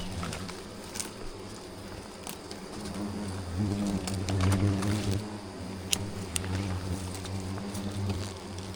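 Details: Yellow-vented hornets buzz in a low, droning swarm around a football-sized nest in bushes, enraged and charging as branches around the nest are cut.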